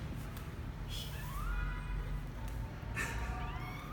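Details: Misoka, a 12-day-old male kitten, on his first venture outside the box on January 12, 2020: two thin, rising high-pitched mews with stacked harmonics over a steady low background hum.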